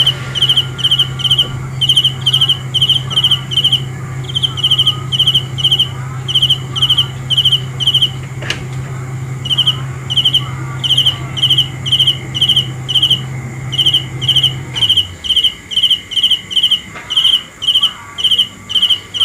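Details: Cricket chirping at night, quick repeated high pulsed bursts about twice a second; faint other calls sound at times, and a low hum stops about fifteen seconds in.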